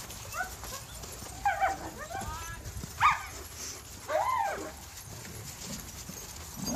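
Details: German Shepherds at a bi-monthly play date of nearly 100 dogs, ages 11 weeks to 12 years, playing together; a few short barks and whining yelps rise and fall around seconds 1.5, 3 and 4 over low background rumble.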